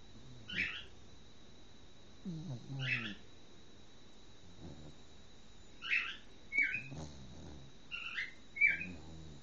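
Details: Cocker Spaniel Lottie, sleeping curled up after daycare, a long walk and a bath, snoring in soft low rasps every few seconds, with short bright bird chirps mixed in throughout.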